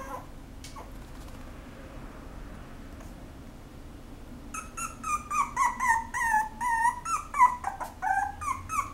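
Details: Apricot female Toy Poodle whimpering: after four seconds of quiet room hiss, a run of high, wavering, falling whines begins, about one or two per second, each thin and nasal, continuing steadily to the end.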